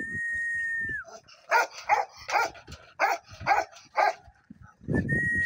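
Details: Bakarwal dog, a guard dog breed, barking: about seven deep, rough barks spaced roughly half a second apart, framed by a steady electronic whistle tone at the start and end.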